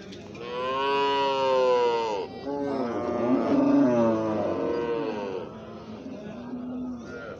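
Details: Baby cow mooing: long, harmonic-rich bawls, the first lasting about two seconds, followed by overlapping moos from more than one animal, with rising and falling tones and a fainter low moo near the end.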